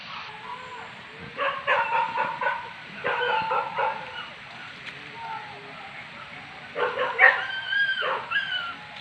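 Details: Pack of hunting dogs baying while hunting wild boar as farm pests at Tarok, Sicincin, Padang Pariaman, Indonesia; clustered bursts of harsh, harmonic barks overlap from several dogs, with quieter spells between and human voices in the background.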